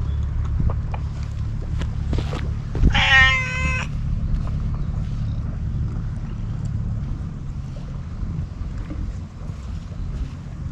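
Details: Scarf-wearing stray cat approaching along an empty road on a cat island in Japan, then fed Kalkan and Churu treats; one clear, drawn-out harmonic meow of about a second, set against steady low wind rumble and scattered clicks.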